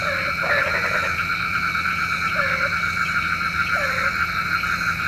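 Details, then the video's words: Frogs at night, said to call rain: one early rattling croak, then a few short, dipping nasal croaks spaced about a second and a half apart, over a steady high ringing chorus. "SUARA KODOK KATAK | Panggil Hujan"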